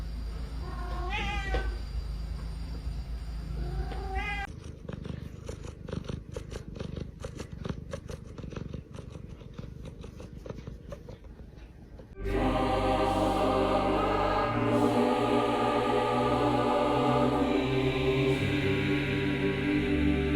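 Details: Domestic cat in a funny pet compilation: a couple of rising meows over background noise, then a steady, rapidly pulsing purr for several seconds, before loud music swamps the last third.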